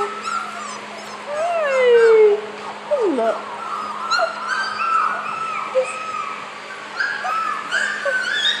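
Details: Young puppies, about four weeks old, let out long wavering whines, one sweeping down sharply, then softer overlapping squeaks and chirpy cries, with a low steady hum behind.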